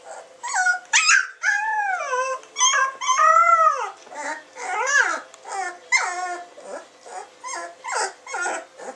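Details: Samoyed puppies born 20 June 2009 crying loudly, long rising-and-falling whines and little howls one after another, then shorter sharp yelps repeating roughly every half second toward the end.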